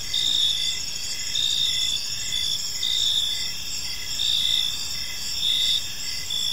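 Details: Park crickets at dusk producing a continuous shrill chorus, with louder bursts of pulsed chirping rising every second or so above a soft, low background murmur.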